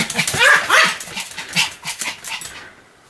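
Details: Pomeranian named Sam barking continuously indoors: a quick run of sharp, high yapping barks, several per second, loudest early on and fading toward the end into quiet.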